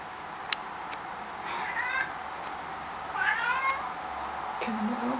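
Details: Domestic cat chasing something indoors, giving two short high meows, the first brief and falling, the second longer and wavering with rich overtones, with a faint low voiced sound near the end and some background hiss.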